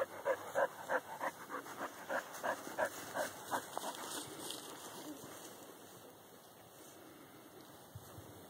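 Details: Corky, a dog kept behind a fence, meeting a whitetail doe that had twin fawns; a fast, evenly spaced run of barks, about three per second, fades out after four seconds into quieter background hiss.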